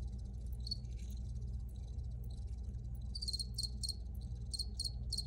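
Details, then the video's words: Cricket chirps, faint and scattered at first, then a clear run of high pulsed chirps in the last two seconds, over a constant low hum. "Free Cricket Sounds for Re-Use or Relaxation"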